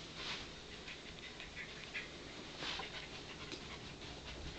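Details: Pembroke Welsh Corgi Palette playing a find-it game: soft, breathy bursts of panting or sniffing run through the clip, with slightly stronger puffs near the start and again past midway, over a steady background hiss.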